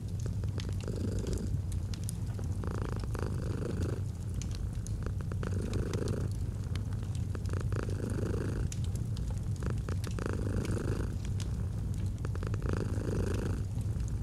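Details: Long stretch of steady cat purring, a deep rhythmic rumble with regular breath cycles about every two seconds, mixed with continuous fireplace crackle in an autumn ambience.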